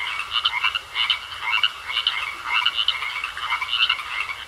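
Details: Several frogs croak together in a pond, short grating calls clustered in bursts about every half second, with a continuous high buzzing tone running underneath.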